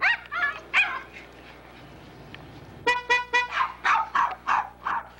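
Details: Poodle puppy giving high, sharp yipping barks in short bursts, with a run of loud, even car-horn honks midway and a rapid series of barks after them.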